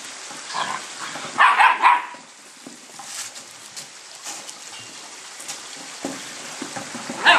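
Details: Whippet puppies playing with their new big toys: a cluster of short, harsh yelping bursts in the first two seconds, then quieter rustling and scattered knocks, with another sharp yelp at the close over a steady hiss.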